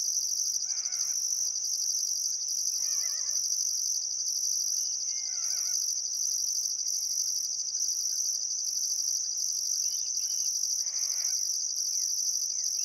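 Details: Crickets chirping at sunset by the Barcoo River in Welford National Park, Outback Queensland, Australia, on a still summer afternoon: a steady, shrill, unbroken trill with a pulsing higher layer, and scattered bird calls at intervals.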